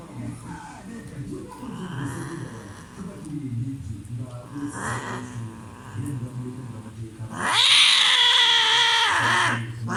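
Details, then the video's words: Domestic cats during mating: low, rumbling growls and moans for several seconds, then a sudden loud, harsh, rising scream that stays strong and piercing to the end. "Cat mating loud screaming noise"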